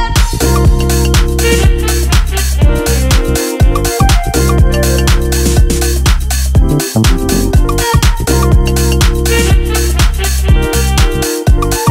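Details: Upbeat dance music with a driving bass line and regular drum beat.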